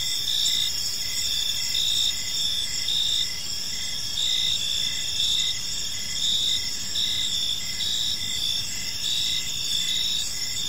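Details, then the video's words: A chorus of crickets chirps in a tranquil park as evening falls, thin high trills running without pause while rhythmic chirp pulses recur every second or so, a light low rumble in the background. "Cricket Sounds in a Peaceful Park"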